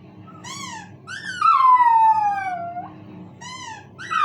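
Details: Pet dog indoors howling in response to a squeaky toy: brief rising-falling squeaks, then one long, high, smoothly descending howl lasting over a second, with another squeak following.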